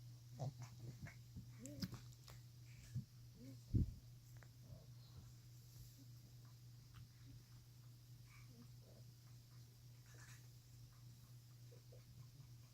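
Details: Crumbs, a female pet whose breathing is often noisy after drinking water, huffs indoors. A run of short, low snorting breaths fills the first four seconds, the loudest near four seconds, then fades over a steady low electrical hum.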